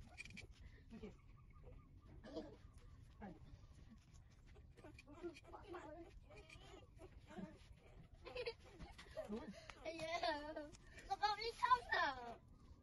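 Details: Puppies whining while they breastfeed: soft scattered noises at first, then, toward the end, louder wavering high whines that rise and fall in pitch, several in quick succession over a low background hum.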